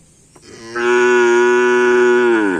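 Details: Cattle during Karapan Sapi bull race training at Lapangan Asemanis, a social gathering: a single loud, steady, drawn-out moo lasting nearly two seconds, rich in harmonics, starting abruptly and fading slightly downward at the end.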